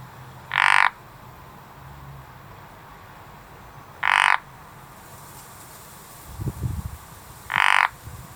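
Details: Garden frog giving three short harsh croaks about three and a half seconds apart, with a brief low rumble between the second and third calls.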